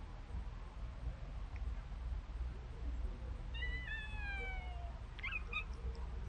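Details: Pet cat being fed treats delivered by a remote-controlled car; one drawn-out, gently falling meow midway, then a brief chirpy sound, over a steady low motor hum.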